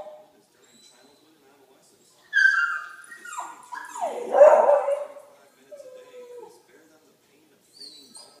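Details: A Jack Russell Terrier gives high, whiny yelps and sliding barks at a dog on TV, with speech in the background.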